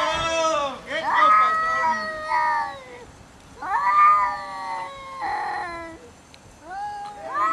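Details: Cats quarreling over food; repeated wailing caterwauls, drawn-out and wavering, with some breaking into growly, rough notes between the higher moaning cries, several bursts in succession.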